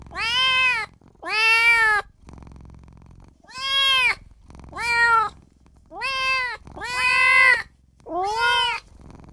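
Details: Newborn kitten wailing for its mother and owner, a run of seven shrill arched meows, each under a second long, with one longer gap early on and otherwise steady spacing.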